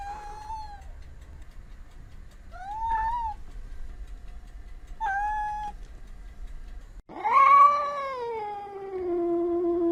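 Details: Domestic cat giving three short, clear meows about two seconds apart, followed by a loud, long, wavering meow that slowly falls in pitch and trails off.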